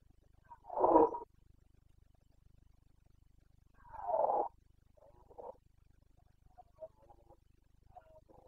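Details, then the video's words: Carpathian red deer stag roaring during the boncănit rut in the Bucovina mountains, 29 September 2022: two loud, hoarse roars about three seconds apart, followed by shorter, softer grunting bursts. "Boncănit / Carpathian stag Breeding season"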